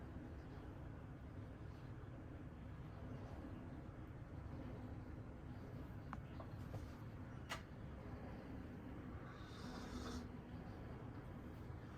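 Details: Low steady traffic rumble with a few faint clicks and a brief high hiss, no animal voice standing out.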